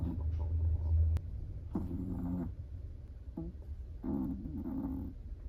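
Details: A sleeping Chihuahua snores in short harmonic bursts, low buzzy rasps that return about every second or two over a steady low rumble of background noise.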